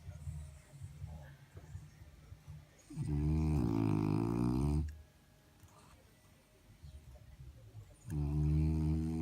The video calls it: French Bulldog Snore / snarkar